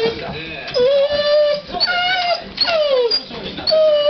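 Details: Pet dog indoors whining in complaint, pacing back and forth, when the Japanet TV presenter fails to appear; long high whimpers that swoop and fall, several in a row, with faint television speech behind.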